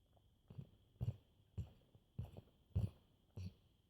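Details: Black Labrador Retriever snoring while asleep indoors: low, rasping breaths repeat roughly every half second to second, each a short throaty rumble, with a steady faint high hum in the background.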